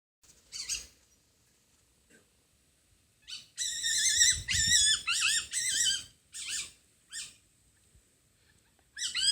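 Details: Masked palm civet living in a home garden in Japan, calling at night: bursts of shrill, high, warbling squeals and chattering in clusters, loudest in a run lasting about three seconds.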